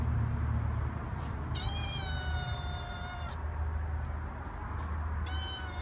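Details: Cat outside meowing: one clear, tonal meow lasting under two seconds that slides gently downward in pitch, then the start of a second meow near the end, with a steady low rumble underneath.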